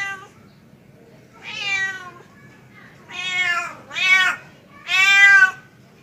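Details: Male domestic cat calling a female, giving four drawn-out, nasal meows. Each is rich in harmonics and rises then falls. The last meows are loudest, with short pauses between them.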